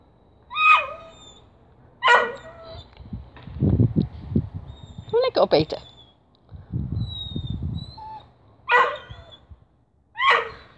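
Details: Whippet given a tripe stick, launching its usual funny ritual attack on the treat before eating it: four sharp, high, harmonic yelping barks spaced out over the stretch, with low rumbling growls and scuffling in between.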